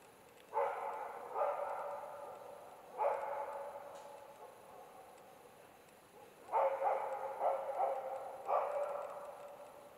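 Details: Karelian Bear Dog barking at bay on two young adult bears during an autumn hunt in Finland; irregular loud barks, some in quick doubles and triples, separated by pauses, with reverberating tails.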